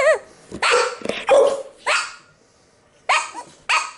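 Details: Pet pit bull reacting to noises, giving sharp, loud barks in irregular bursts, some opening with a short rising yelp, with a brief quiet gap before two final barks.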